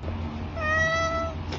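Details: Spoiled tabby cat eating treats lets out one smooth, level meow lasting under a second, clear harmonics and a steady tone, with faint low hum and a soft click at the end.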